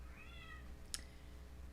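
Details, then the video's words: Female domestic cat indoors at home, very vocal since another animal in the household passed away, gives one faint, drawn-out meow that falls slightly in pitch, followed by a sharp click. "that's my cat by the way if you can hear her"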